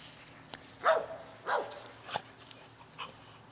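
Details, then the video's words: Dogs playing together, giving a few short, sharp barks and yips spaced about half a second apart, each rising then dropping, over a faint steady background hum. "Dogs Playing"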